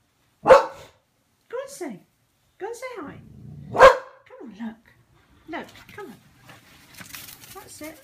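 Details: Boxer dog Pixie, frightened by a balloon in a small room, lets out two strong barks about three seconds apart, with a woman's coaxing voice talking between and after them.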